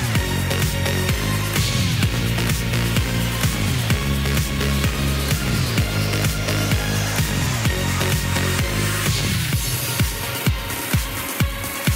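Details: Loud electronic dance music with a heavy, pulsing bass beat throughout.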